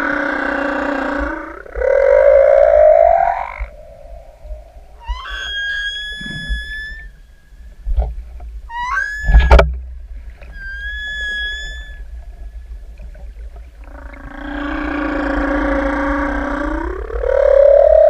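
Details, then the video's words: Singing humpback whale in the open ocean, swimmers right above it: a rough, buzzy moan that slides upward, then several short rising whistled notes with ringing overtones and faint clicks, then another upsweeping groan at the end. "Sortie Baleine du 2809 "elles chantent""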